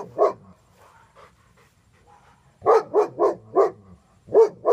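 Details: German Shepherd Dog that is reactive to dogs and people barks once, goes quiet apart from faint low sounds, then fires a fast run of four barks followed by two more.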